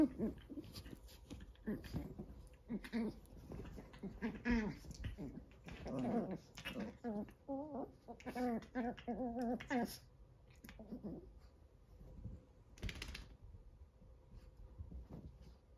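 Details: Two 14-week-old Chihuahua puppies fighting indoors: low growls and short whimpering yelps in bursts, with a run of rapid pulsed growl-whines midway, then quieter scuffling and breathing.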